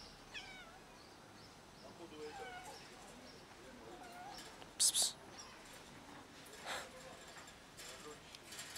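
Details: Hungry kittens climbing down a garage for food give thin, high-pitched meows several times, faint and scattered, with a sharp clatter midway and light background noise.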